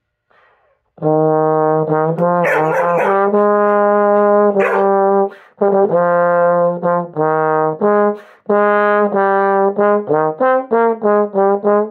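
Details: A bass trombone plays held and then short detached notes, with no animal sounds.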